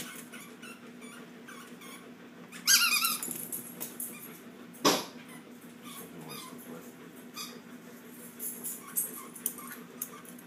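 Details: Shih Tzu dogs wrestling indoors in a small room: a brief high, squeaky yelp rises out of soft scuffling near the third second, followed by a sharp knock and scattered light rustling and clicks of play.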